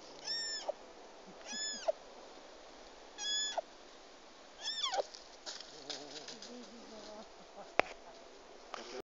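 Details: Stray, hungry roe deer fawn in a Sîngerei forest calling with four loud, high, arched squeaky bleats about 1.5 seconds apart, followed by rustling and handling noises and a sharp click.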